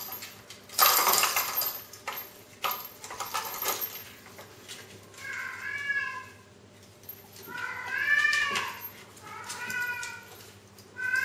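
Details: Onyx kittens playing with a toy: metallic clattering and clinks open, then three drawn-out meows with rich harmonics, each rising then falling and lasting about a second, spaced a couple of seconds apart.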